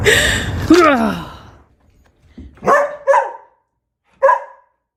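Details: A dog from a funny-dog compilation gives a drawn-out, wavering whine-like cry that slides down in pitch, then three short, sharp barks after a brief pause, the last one separated by about a second.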